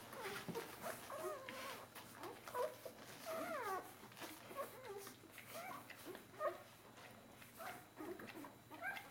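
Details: Newborn Bernese Mountain Dog litter, four days old, pushing and nursing; repeated short, bending whines and squeaks come from several pups over constant soft shuffling and suckling sounds.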